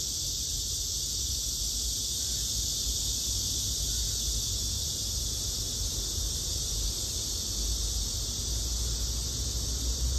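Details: Black cicada (Cryptotympana atrata), filmed while comparing males and females: a steady, unbroken high buzzing drone that holds evenly for the full ten seconds over low rumbling background noise.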